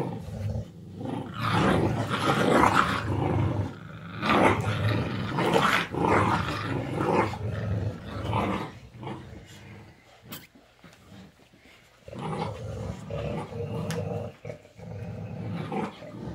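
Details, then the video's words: Mother dog with her puppies, teaching them: bursts of rough, low growling in uneven runs of roughly two per second, pausing near ten seconds before resuming more softly. "DOG MOM TEACHING HER BABIES"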